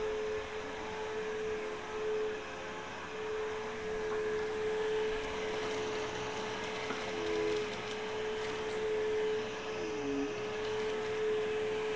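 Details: A steady mechanical drone like a running vacuum fills the room, with no animal voice.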